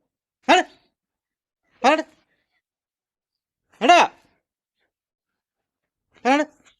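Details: Young street puppies calling for their mother dog while hungry for milk: four short, arched yelping whimpers spaced roughly one and a half to two and a half seconds apart, with silence between them.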